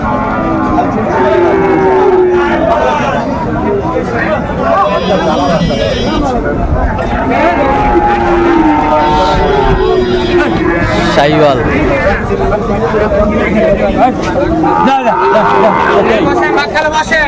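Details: Sahiwal cattle for sale at the Friday Ambari haat in Mymensingh: short, low, wavering moos break through around two and eight seconds, buried in steady speech, crowd chatter and a nearby vehicle.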